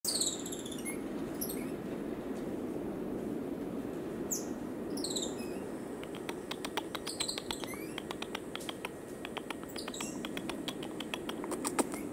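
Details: Cotton-top tamarin from Colombia giving high, thin chirps and short whistles with stacked harmonics, sparse at first, then a rapid run of clicky chirps in the second half over a steady low hum.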